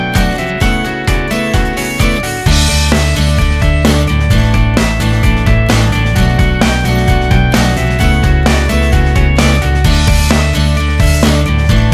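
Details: Upbeat background music with guitar and a strong bass line plays throughout, with no animal voice.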